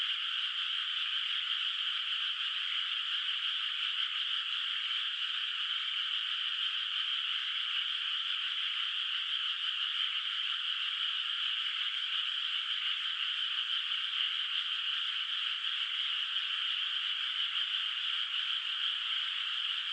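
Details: Frogs in a moonlit rice field at night, before rice planting, heard from a distance as a continuous trilling wall of sound that stays even in loudness for the whole stretch, with nothing else audible.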